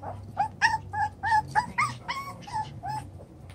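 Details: Chocolate brown Toy Poodle puppies, seven weeks old, playing in a newly enlarged pen: about eight short, high whimpering yips, each bending up then down, coming every third of a second over a low steady hum.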